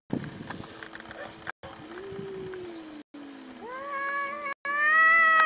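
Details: A domestic cat's long meow climbs steadily in pitch and grows louder toward the end, preceded by a quieter, lower drawn-out tone and a brief thump, over a faint steady hum.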